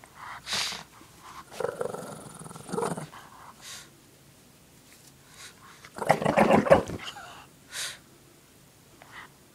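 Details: Lacey, a pet Shih Tzu, tussles with her pink blanket indoors, giving fierce-sounding throaty growls, one long rumble early and a louder gnarling burst near the end, between short snuffles.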